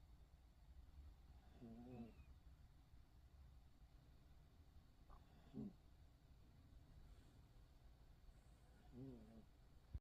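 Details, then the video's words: A poodle's snoring, three low buzzy breaths spaced roughly three and a half seconds apart, the first and last fuller and raspier, the middle one shorter, against a hushed indoor background. "귀여운 코골이 #푸들"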